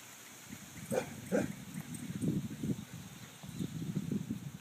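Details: Basset hound taunted by a squirrel outdoors, giving deep, low, hoarse barks in quick uneven bursts, roughly eight pulses over four seconds, over steady background hiss.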